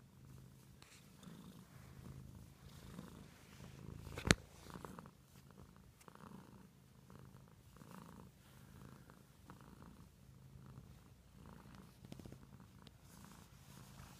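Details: Domestic cat purring steadily, a low rumbling throb pulsing in regular breaths throughout, with one sharp click or tap near the fourth second; otherwise quiet indoors.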